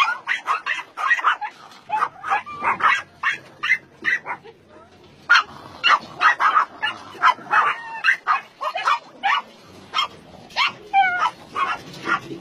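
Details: Many dogs barking at a combined meat farm and puppy mill in Nonsan city, South Korea, in January 2017; quick overlapping barks with a few higher yelping notes, briefly easing mid-way before rising again, a human voice faintly present.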